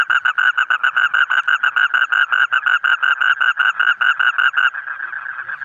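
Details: A brightly coloured frog repeats quick pulsed croaks at an even pace for several seconds, then the series stops and only a faint murmur remains.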